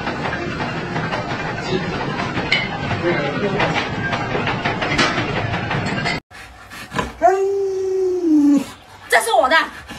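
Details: Alaskan Malamute Luoluo reacting indoors to the owner lying sick in bed: noisy rustling and voices first, then a clear drawn-out howl that slides gently downward, followed by a shorter rising-falling yelp.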